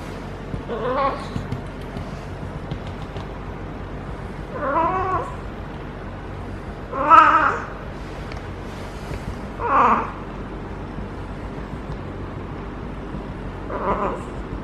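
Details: Caterwauling of a feral domestic cat in her first heat cycle, rolling while petted at the base of the tail: five long quavering yowls spaced two to four seconds apart, the middle two loudest, over a low hum.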